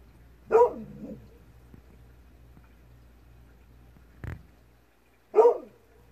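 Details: At dusk, Golden Retriever Kohaku responds to a distant fox with a bark that trails off into a lower murmur. A brief knock sounds, then a second bark.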